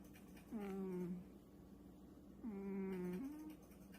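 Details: British Shorthair cat named Pungi makes a strange sound when touched while sleeping: two drawn-out, moan-like, low voiced calls, the first falling and about half a second long, the second longer, steadier and ending with a slight rise, in a quiet indoor room.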